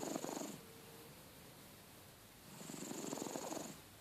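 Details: A loudly snoring pet cat: one rough, buzzing breath fades out, a quiet gap follows, then another grating snore swells with a thin whistling edge.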